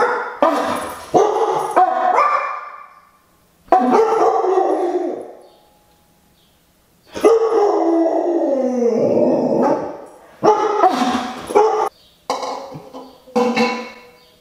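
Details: Pet Siberian Husky in a howling tantrum set off by a conch shell horn. Long wavering howls and yelping, bark-like cries come in bursts of a few seconds, split by short pauses. A voice is heard faintly.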